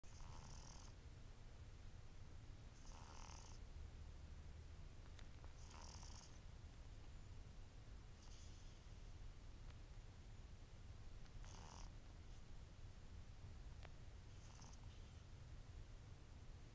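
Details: Domestic cat snoring during an afternoon nap on 19 April 2010: soft, breathy snore bursts repeating about every three seconds over a steady low room rumble.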